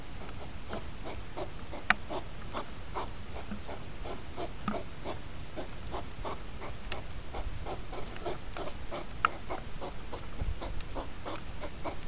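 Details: Sped-up hedgehog rut, two hours in five minutes: dense, rhythmic chuffing pulses run almost continuously, several per second, over low hiss, with a few sharper squeaky ticks.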